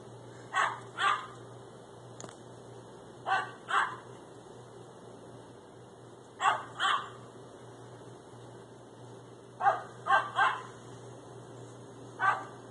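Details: Cream and black Schipperke dogs play a chasing game around a pool, barking in quick pairs and triplets of sharp yaps with short pauses between bursts, against a constant low background hum.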